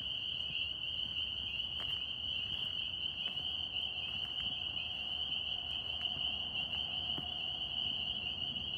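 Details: A dense chorus of northern spring peepers (tree frogs) in New York blends into a steady, shrill, high-pitched ringing.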